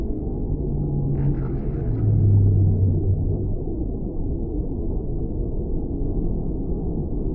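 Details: Deep whale moans: a low, steady droning tone swells for about a second, then fades into continuous muffled underwater rumble.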